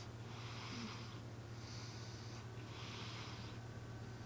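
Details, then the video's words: Cat called M snoring in sleep: three soft airy breath sounds, evenly spaced about a second apart, against a constant low hum. "俺のイビキ ロングバージョン💤 My snoring"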